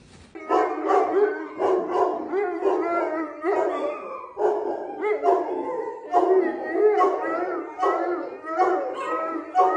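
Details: A pet female Neapolitan Mastiff weighing 120 lb howls in a string of short, wavering yowls. Each yowl lasts about half a second and they follow one another almost without a break, with a bright, nasal tone and small bends in pitch.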